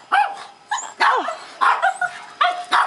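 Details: Two senior Japanese Chins, one red and white, one black and white, rescued from a puppy mill, after their first bath; short high yips and barks in bursts, with a woman speaking softly to them.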